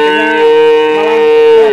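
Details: Young male calf of limousin cross type, small horns, at a cattle sale in Grabag, Magelang, Indonesia. A loud, steady, fairly high-pitched moo lasts almost two seconds, tapering slightly at the end.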